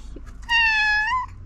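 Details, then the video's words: Black domestic cat meowing timidly indoors, hungry and trying to tell its owner something: one drawn-out tonal meow of about three-quarters of a second, steady then rising slightly at the end, in a quiet room. "Black cat meows timidly and wants to tell me something"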